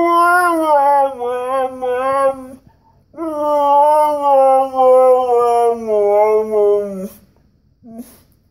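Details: Siberian Husky, a male complaining and wanting to go out for a walk, giving two long drawn-out whines, the first wavering and about two and a half seconds, the second near four seconds and slowly falling, then a short squeak.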